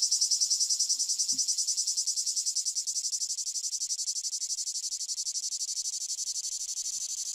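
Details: Male Lyristes plebejus cicada singing at Fondon in Andalucia, Spain, on 9 July 2022. It gives a steady, high, rasping buzz made of fast regular pulses that slowly lessen in volume, with a faint low knock twice.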